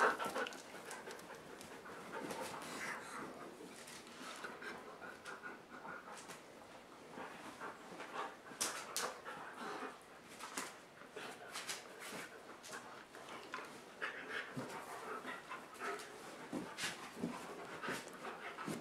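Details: Dogs romping on a dog bed inside during rainy weather; soft, uneven breathy panting with scattered clicks and rustles of movement throughout.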